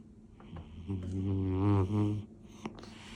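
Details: Sleeping male British Shorthair named Toby, orange tabby, snoring next to his owner on New Year's Day 2025: a loud, deep, grunting snore of about 1.3 seconds with a short break near the end, light rustling around it.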